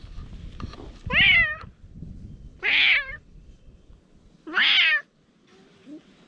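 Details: Stray cats in a fight: three loud, high wavering yowls spaced about one and a half seconds apart, each bending up then down, with low rustling and scuffing between them and a faint last moan.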